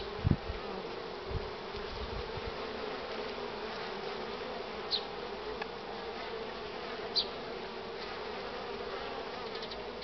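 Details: Pollen-laden honey bees throng the hive entrance at 9:45 on 24 March 2019, strong sunshine and cool air; steady droning buzz throughout, a few low bumps early on and short passing whines of single bees.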